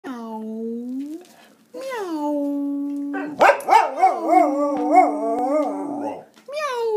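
An English Springer Spaniel howls in long, tuneful notes that rise and waver like singing.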